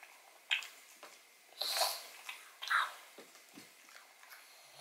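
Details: A pug named Odin gnawing on a bone filled with marrow, recorded close up indoors: a few isolated crunching bites and wet smacking sounds spaced about a second apart, with near silence between.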